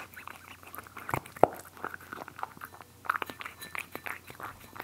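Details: Close indoor recording of cats eating: sparse crunchy bites and wet chewing clicks at uneven intervals, with a louder sharp crunch near the start and quieter smacking between.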